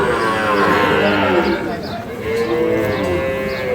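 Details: Sahiwal calves being sold at Ambari cattle market, Parbatipur, Dinajpur, Bangladesh; two drawn-out moos, one early and one later, sound through loud chatter of buyers and sellers.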